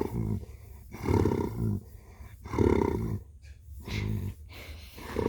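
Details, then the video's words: Domestic cat purring: low, rumbling pulsed bursts that swell and fade in a breathing rhythm, roughly one burst every 1.5 seconds, with quiet gaps between them. "Blue purring"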